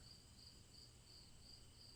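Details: Crickets chirping as a relaxing background: short high pulses repeat steadily about three times a second over a constant high trill and a low hum.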